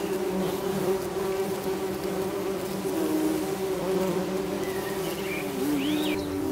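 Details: Nest of tree bumblebees (Bombus hypnorum) with young queens: a continuous even drone of several bees with steady and slowly gliding wing tones, while a bird gives short high chirps and swooping whistles in the background.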